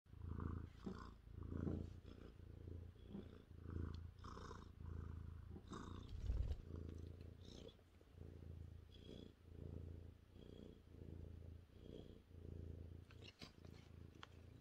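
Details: A 30-pound male Maine Coon cat purrs steadily on a lap on a chilly evening while his ears are rubbed, a deep rumbling throb swelling and fading with each breath; Maine Coon cat.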